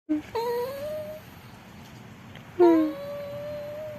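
A Cavalier King Charles Spaniel gives two drawn-out, tonal whines that slide upward and hold steady.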